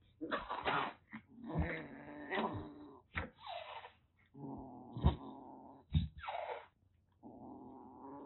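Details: Rescued calico kitten, about six weeks old, in Kagoshima, Japan, in a sudden burst of threatening indoors. Low rumbling growls with harmonics run through the clip, broken by short harsh noisy hisses and spits at irregular intervals, with brief gaps.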